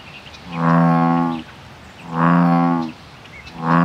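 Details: Male American bullfrogs (Lithobates catesbeianus) defending their territory give deep, droning, cow-like advertisement calls, each about a second long, repeated steadily.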